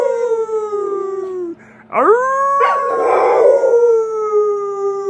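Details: American Bully dog giving sustained howls: a slowly falling wail, a brief pause, then a sharply rising cry that levels into a long quavering howl, loud and close, with a faint steady hum beneath.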